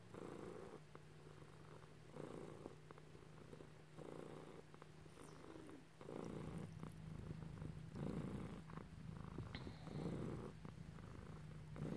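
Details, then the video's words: Cat purring loudly while being petted by its owner indoors, a rhythmic low rumble pulsing with each breath about every two seconds, growing stronger halfway through, light rustling of fur. "Just some kitty loving & purring"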